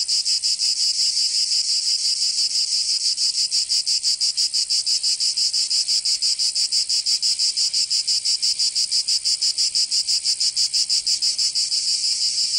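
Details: Cicadas in summer in Provence, France, keep up a continuous shrill buzzing. The chorus pulses in quick, very regular beats for the whole stretch, with no other noise.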